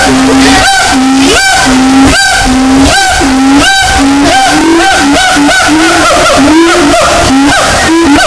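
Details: Siamang. A siamang calls in a steady series of loud, resonant hoots, about one per second, each broken by a rough, explosive bark. The sound is heavily amplified and distorted, and the notes rise toward the end.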